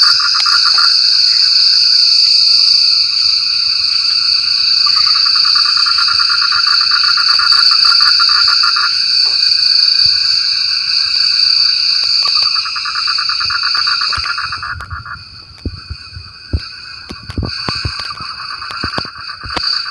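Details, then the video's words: Frogs call during rain, their fast rattling pulse trains repeating almost four times a second for about fifteen seconds beneath a steady shrill insect hum; the chorus then thins to scattered clicks and knocks. "Suara Kodok Hujan"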